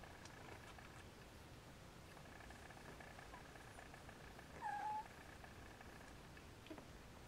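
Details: Siamese kittens trying to nap beside their mother Siamese cat; one short, thin mew, briefly dipping then holding level, rises out of a steady low hum and soft rustling near the middle.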